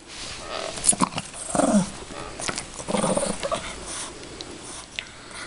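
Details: Yorkshire Terrier playing with her toy bunny indoors, giving short rough growls and grunting bursts, with a louder low rumble near the middle and quieter snuffling between.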